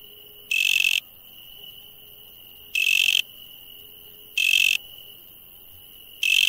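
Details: Insects calling at night: a steady high whine runs throughout, broken by four loud, harsh buzzy bursts of about half a second each, spaced roughly one and a half to two seconds apart.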